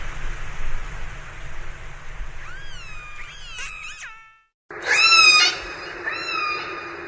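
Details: Orca vocalizing underwater: a wobbling, rising harmonic cry, a short gap of silence, then a loud screechy call that holds steady, answered by a softer, level tone over continuous hiss.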